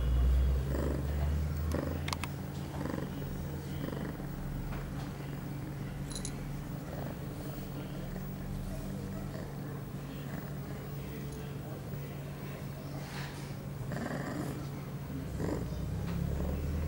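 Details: Low, steady rumbling purr, about three to four pulses per second, from Pia, an 8-month-old female cat on heat, recorded September 23, 2011, two hours after her first birth control pill, with faint clicks and rustles.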